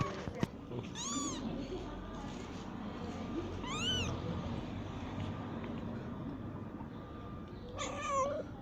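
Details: Kittens of a stray mother cat that has just given birth, wanting to leave their nest; three high, arched, whistle-like mews spaced a few seconds apart, the last one wavering, with rustling and a low background hum.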